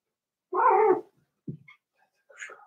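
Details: In an indoor puppy pen, a four-week-old Cavalier King Charles Spaniel from Daisy's litter lets out one loud, half-second whine, followed by a soft low grunt and faint high squeaks.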